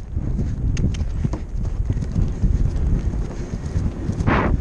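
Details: Helmet-camera recording of a Percheron mare on a Novice cross-country run at a New Jersey horse trials: dull, irregular hoof thuds and creaking tack buried in steady wind roar, with a brief rushing burst near the end.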